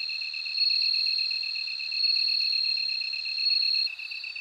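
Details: High, bell-like ringing of a bell cricket in three swelling trills, each about one and a half seconds long, over an even, quick pulsed chirp from a second insect.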